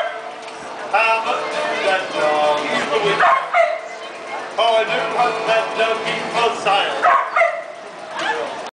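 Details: A street busker's dogs singing for passers-by in Central Melbourne, Australia; drawn-out, wavering harmonic howls rising and falling in repeated phrases, mixed with street music and people's voices.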